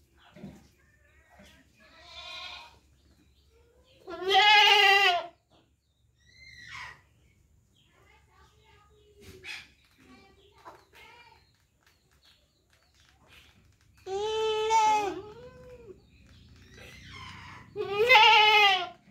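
Three loud, quavering goat bleats stand out, each about a second long and rich in harmonics. Quieter bleats and some faint human voices fill the gaps between them.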